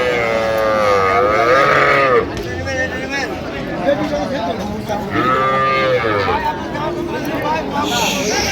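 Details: Cows and calves at the Ambari cattle market in Dinajpur, recorded on 19/1/26. Drawn-out moos of varying pitch come over steady Bengali speech from a man and the chatter of the market crowd.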